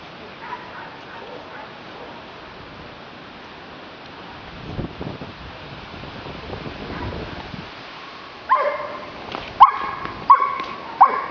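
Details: Giant Schnauzer barking outdoors: after several seconds of quiet rustling and faint wind, a burst of four loud, harsh barks comes in the final three seconds, spaced roughly half a second to a second apart.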